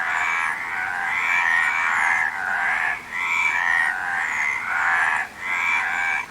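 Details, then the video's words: Frog croaking in long, rasping bursts of roughly a second or more, separated by short dips, with a steady, dense, buzzy texture throughout and no other clear sounds. "Frog Sound"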